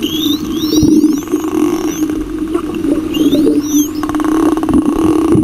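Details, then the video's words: Superpod of spotted dolphins bubble-net hunting in a massive baitball of little lanternfish off Osa Pelagic, Costa Rica, recorded underwater by a diver; sweeping rising and falling whistles in bursts, crackling click trains, over a steady low droning hum. "Spotted Dolphin Superpod Bubblenet Hunts with Sound in Giant Baitball"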